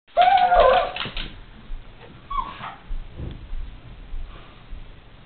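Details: Pug indoors, described as noisy, lets out a loud, wavering high whine lasting about a second, followed by softer snuffles, short breathy whimpers and a low clatter.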